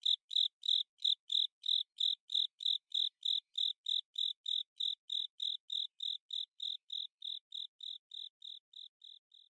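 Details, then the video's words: Japanese burrowing cricket, Velarifictorus micado, in its "kata sase, suso sase" song. Crisp high chirps repeat about three a second and gradually fade toward the end. Nothing else is audible. "肩刺せ裾刺せ ツヅレサセコオロギ 鳴き声"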